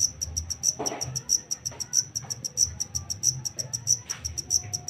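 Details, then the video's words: Black cricket caught in the wild, chirping in a fast, regular train of bright, high pulses, roughly six per second, with a soft low hum and occasional faint knocks beneath. "Suara asli jangkrik hitam"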